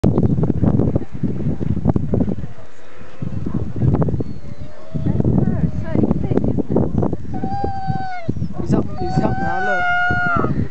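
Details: A Siberian Husky, filmed while skiing and seemingly pining for something, breaks into a drawn-out, wavering howl while people talk nearby.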